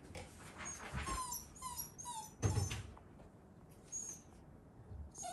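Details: Shiba Inu named Ranmaru, indoors behind a fence, greeting visitors as a meeting begins; thin high whines slide downward in short bursts, several within a few seconds, over a low room hum and faint rustling.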